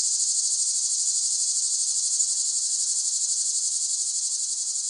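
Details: Loud cicada buzzing for sleep and relaxation, an intense high metallic drone with quick regular throbbing in volume, steady from start to finish.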